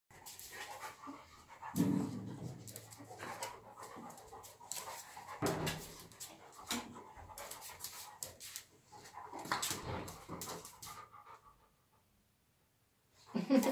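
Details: English Springer Spaniel panting: rapid, breathy, noisy puffs in uneven bursts, louder around two and ten seconds, then a brief silence before a final loud huff.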